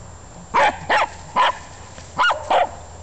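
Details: Welsh Terrier barking while digging in a garden: five short, sharp barks in about two seconds, uneven spacing, the last two close together, over a low steady background hum.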